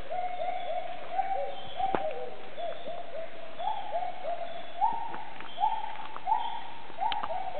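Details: Wild Bornean gibbons in Maliau Basin forest, Sabah, Borneo, calling from the tree tops while people walk out of the jungle: steady repeated hoots, each a short rising-falling swoop, with faint insect hum and a few knocks.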